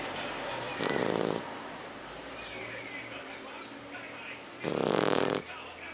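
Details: Héron, a French Bulldog, snoring while asleep: two rough, rasping snores about four seconds apart, each lasting roughly half a second, with quiet breathing-level hiss between them.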